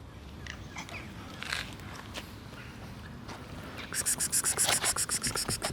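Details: Black cat coughing indoors: after a few seconds of quiet rustling, a rapid series of harsh, raspy hacking pulses runs for nearly two seconds, each pulse short and breathy.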